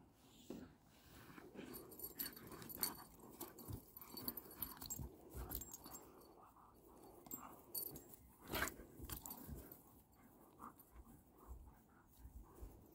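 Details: Two dogs, the Kangal Aslan and the Doberman Neela, best friends reunited after a while apart and playing like puppies; quick, breathy, noisy bursts come in an irregular stream with scuffling thumps between them.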